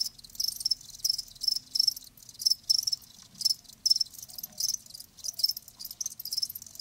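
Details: Shrill cricket chirps come in uneven clusters of high, ringing pulses, roughly two a second, some louder and some softer, over a faint low rumble.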